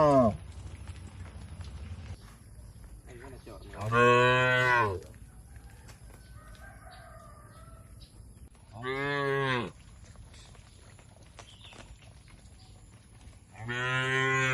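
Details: Domestic cattle in a rural shed, calling at intervals: three deep, full moos about five seconds apart, with faint higher calls in the quiet background between them.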